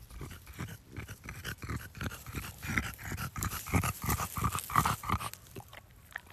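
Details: French Bulldog outdoors on a garden plot, eating strawberries it has recently come to like: quick snuffling snorts and panting breaths repeated about three times a second, with chewing noises mixed in.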